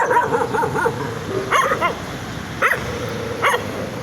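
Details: Excited puppies giving quick high-pitched yips and short barks, a rapid cluster at the start followed by a few spaced single yaps.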